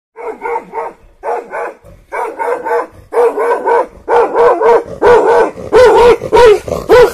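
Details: Angry dog barking at a cheetah: tonal, harmonic barks in quick bursts of three to four, the bursts growing louder and more crowded toward the end.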